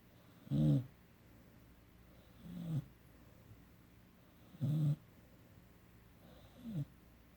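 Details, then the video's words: Emery, a puppy aged 17 weeks, snores in sleep: short low grating snores alternating louder and softer, about two seconds apart, nothing else audible. "17 Week Puppy- Emery Snoring"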